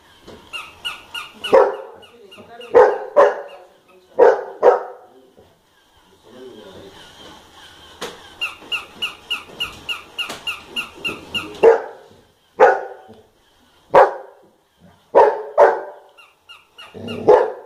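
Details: Golden Retriever named Bubbles reacting to a Hamleys toy: sharp barks in short bursts between the toy's repeated electronic jingle notes, with a person speaking and background music.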